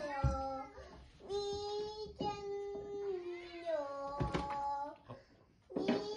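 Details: Household cats in Japan squabbling indoors, a bolder cat pestering a gentle one; drawn-out moaning yowls that rise and sag, separated by short pauses and brief thumps.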